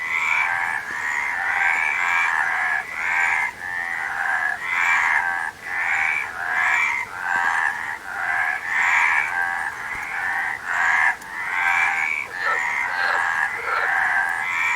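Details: Continuous frog chorus of raspy, pulsed croaks in long overlapping bursts, each lasting around a second, steady loudness throughout with short gaps; a few lower soft clicks near the end.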